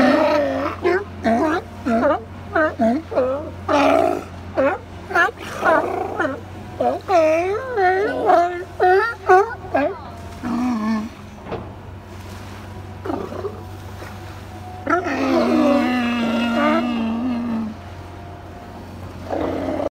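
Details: A group of California sea lions dozing at Second Beach, Powell River, BC, keep up a chorus of gruff, wavering barks, nearly two a second. Then comes a pause, then a long drawn-out roaring bellow, over a faint low hum.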